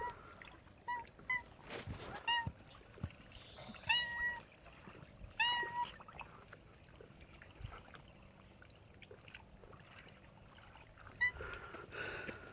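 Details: A cat making a funny sound: several short, clipped tonal cries, some in quick pairs, scattered through the recording amid clattering, rustling household noise and a few broadband knocks.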